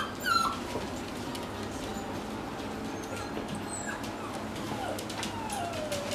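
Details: Male Toy Poodle on a trial day at a dog daycare; one sharp yelp at the start, then a few scattered thin whines, one drawn-out falling whine near the end, over constant indoor background noise.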